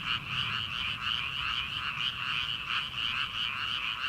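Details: Early-summer frog chorus from rice paddies at night, heard before transplanting begins: many overlapping croaking callers forming an unbroken, pulsing wall of sound, rhythmic bursts rising and falling quickly.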